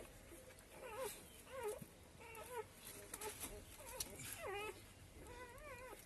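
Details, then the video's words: Hungry street puppies call for their mother as they scramble toward her to drink milk. A string of short, wavering whines repeats about every half second to second, with faint clicks and background hum. "తల్లి కోసం కుక్కపిల్లల ఏడుపు"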